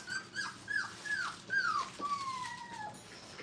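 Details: Brittany puppies at five weeks old, playing at a training kennel, give a run of short, high whines that each fall in pitch, repeated about twice a second, closing on one longer, steady drawn-out whine.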